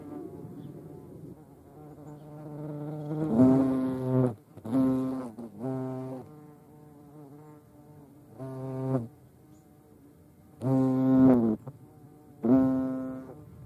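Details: Short bursts of deep, reedy buzzing from European hornets (Vespa crabro), about six loud pulses of one half to one second each over a fainter continuous hum.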